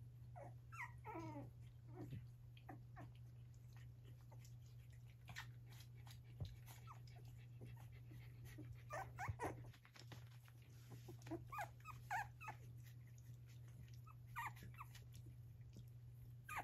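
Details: Australian Terrier litter of six puppies, one male and five female, aged three and a half weeks, with their mother Gracie: high, wavering whimpers and squeaky squeals in short bursts, scattered throughout over a steady low electrical hum.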